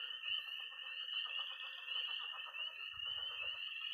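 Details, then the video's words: Dense night chorus of peeping tree frogs, pond frogs and trilling toads in early spring in Missouri; an unbroken shrill high trill dominates, with softer pulsing croaks below and a brief low rattle near the end. "Relaxing sounds. 20 minutes of toads and frogs, sound only!"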